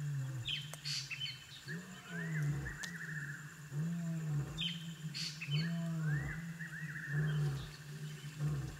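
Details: Low, droning hoots from African wild dog puppies at the den come in a steady series of sustained notes with overtones, mixed with rising whines and bird chirps.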